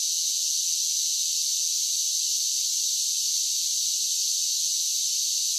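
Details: Cicadas singing on a summer day, producing a loud, continuous sizzling buzz at high pitch without pauses or pulses; nothing else is heard.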